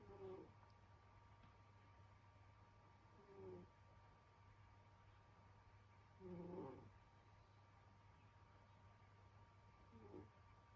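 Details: Senyora Betsy, a pet cat sleeping indoors in winter, snoring: soft, low, nasal tonal snores with a faint whistle, each about half a second long, coming every three seconds or so over a steady low hum.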